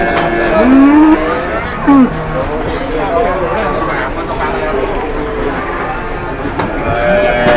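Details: Cattle at Pasar Pon Ambarawa livestock market, Indonesia, during a sale and weighing: a short rising moo followed by a brief second lowing call, over steady crowd talk and market bustle.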